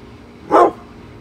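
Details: Single loud bark from Bullet, a brindle Pit Bull unhappy about construction workers outside the house he is guarding.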